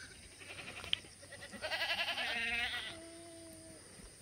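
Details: Black goat at a free-range, antibiotic-free farm yard on the slopes of Muchuksan, Sangdong-myeon, Gimhae, South Korea, on a clear Wednesday morning, 12 August 2020: a wavering, quavering bleat lasting about a second, then a lower drawn-out tone.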